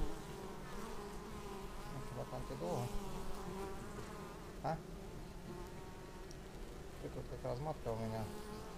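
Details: At the entrance of a beehive, arriving bees make a dense layered buzz, with a rich low hum and wavering higher tones as several insects fly close by, captured on an action camera.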